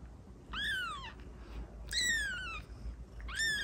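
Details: Three plaintive kitten meows for attracting cats, each a clear harmonic cry that rises briefly then slides down, roughly a second apart.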